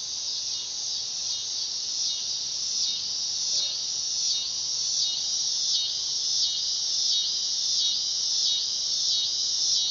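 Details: Neotibicen canicularis, the dog-day cicada, calling in summer: an intense, shrill, droning buzz with regular wavering throbs about once a second, steady and loud throughout.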